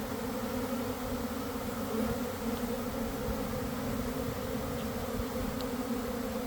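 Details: Mass of honey bees in a swarm near a garden hive, one in the afternoon after a damp cold spell: a steady, full buzzing drone, unvarying in loudness, with a few faint ticks above it.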